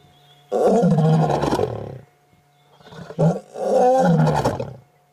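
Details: Adult male lion from a coalition of four males, wild, lying down right next to a safari vehicle on a sunset drive, 8 August 2016: two deep, hearty roar bursts, the second rougher and broken, over a steady low hum.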